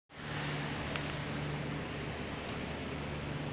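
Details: Steady broadband rumble with faint low hum and a couple of soft clicks, like vehicle or room noise; no barking or other animal voice stands out.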